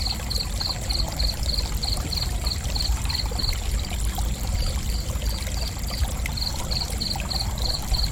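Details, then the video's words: Steady cricket chirping, rapid high pulses at about three per second running almost unbroken, accompanied by continuous pouring water. "Gentle Cricket Chirping"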